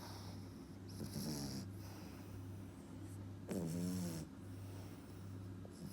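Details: French Bulldog pup, 4.5 months, snoring: two loud vibrating snorts with gurgly rattles, separated by quieter hissing breaths, over a low droning hum indoors.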